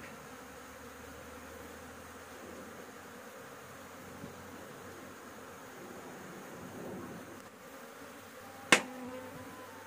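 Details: Honey bees humming around their roof nest while honey is harvested. A softer, steady buzz runs throughout, rising slightly near the end before a single sharp knock or click cuts in.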